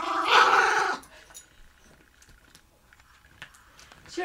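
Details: A Toy Fox Terrier gives a loud, rough, growling bark lasting about a second, followed by quiet, around being given a bone.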